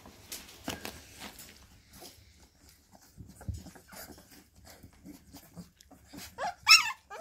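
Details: Bull terrier puppies play fighting indoors: soft scuffling and clicking noises build to a burst of sharp, high squealing yelps near the end, several in quick succession with wavering pitch.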